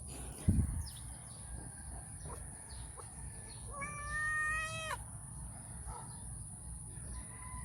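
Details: Before eating, the stray cat Calita asks for affection and cuddles. She lets out one sustained, slightly rising meow lasting about a second, after a sharp knock, with low background rumble and a faint steady high whine.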